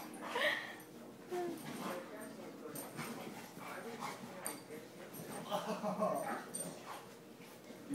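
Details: During play, Rambo gives low rumbling growls with short, higher whining yelps rising and falling throughout, over a steady background hiss.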